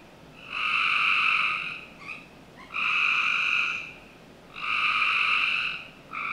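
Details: On a summer night in a Northern Virginia backyard, frogs give rasping buzzy trills of about a second and a half, three main calls spaced about two seconds apart, with short fainter calls in between.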